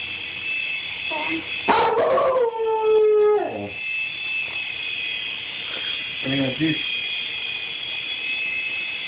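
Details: Rusty, a pet dog, reacting to a toy helicopter: one sharp bark followed by a drawn-out falling howl-like yelp, then a short lower bark, over a steady high whine from the toy helicopter's motor.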